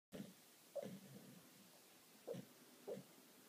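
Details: A female Japanese Shiba Inu sleep-barks with soft, muffled woofs in short bursts between quiet breaths, lying beside a loudly snoring male Shiba.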